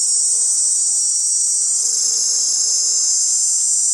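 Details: Many male cicadas drone together with their tymbals in a continuous, piercing high buzz that barely wavers; the chorus serves to attract females, and a faint low hum sits underneath.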